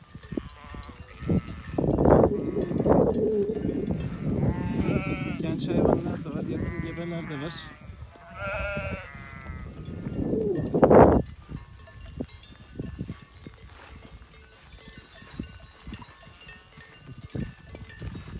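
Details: Merino sheep on a farm in Türkiye: a run of harmonic, quavering bleats from several animals in the first half, then one sharp loud cry, fading into flock rustle with Turkish speech nearby.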